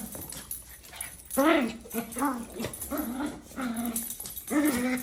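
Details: A Maltese dog gives a run of high, wavering whines and grumbles, each rising then falling, while fighting.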